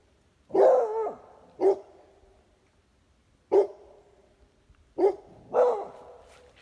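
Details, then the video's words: Two dogs, a Pitbull and a Beagle crossed with a Basset Hound, giving five loud barks: a long first bark with a short follow-up, a lone bark after a pause, then a closing pair. "Pitbull and Beagle (Basset Hound mix) barking"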